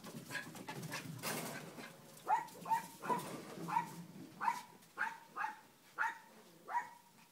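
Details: Cleo's puppies on a kennel deck during play. After some scuffling noise, high, clipped puppy barks repeat about every 0.7 seconds, roughly nine in a steady run.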